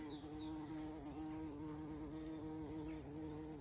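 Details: Bumblebees buzzing around flower patches along a walk on a regenerative farm in County Kilkenny, Ireland; a steady, low droning hum with a slightly wavering pitch holds through the whole stretch.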